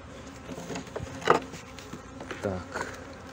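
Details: Honey bees in Brno, 2022, at a hive where a chewed-open inserted queen cell was found after the bees tore down their own earlier-hatched queen cell; a steady low hum runs throughout, with a few louder clicks and knocks.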